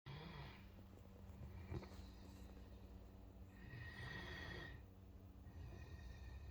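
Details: Great Dane snoring: a short raspy breath at the start, then a longer hissing snore around the four-second mark, over a steady low rumble.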